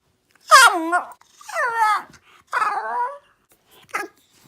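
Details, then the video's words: Young puppy indoors making funny noises: three drawn-out whiny, harmonic whimpers, each about half a second long and wavering up and down, followed by a short sharp yelp near the end. "My new puppy makes funny noises"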